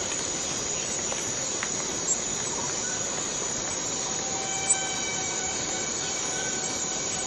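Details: Rainforest cicada from Borneo keeps up a constant high shrilling buzz, steady in pitch and loudness, while a few thin whistled tones drift in and out in the background.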